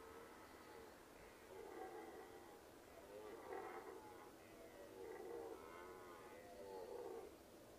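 A red deer stag gives a series of hoarse, moaning roars, several seconds apart.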